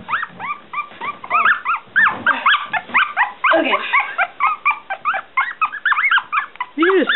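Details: Three noisy one-week-old Smooth Coat Collie/Coon Hound/Pomeranian mix puppies, Bella, Kooper and Boy, give a dense run of high, arching squeals that rise and fall, overlapping almost without pause, with soft scuffling and a faint human voice.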